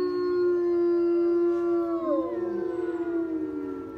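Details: A captive gray wolf at the Colorado Wolf and Wildlife Center holds a long, steady howl that wavers and slides downward, with another wolf joining below.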